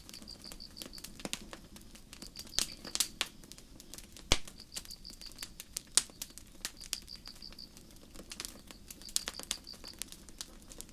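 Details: Forest crickets on a starry night repeat high, rapid pulsed chirps in groups separated by short pauses, accompanied by steady crackling and occasional sharp snaps of a campfire.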